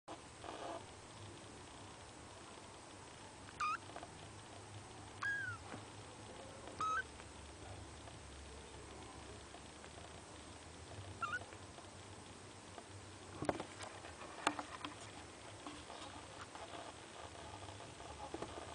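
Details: Kitten Linda tries hard to wake three sleeping siblings, giving thin, high, brief squeaky mews spaced a few seconds apart over a quiet indoor hum, with occasional soft clicks and rustles.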